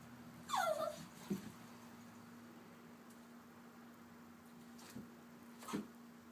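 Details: Popcorn, a papillon mix dog, sulks for a few minutes after being upset. A brief falling whine comes early, then soft low grunts and a faint final whimper near the end, over a steady low hum.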